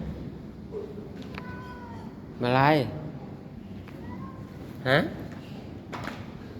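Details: Cat that came up to the room during heavy rain, giving two loud, wavering, drawn-out meows a few seconds apart, with quiet Thai speech before and between them and a steady low background hiss.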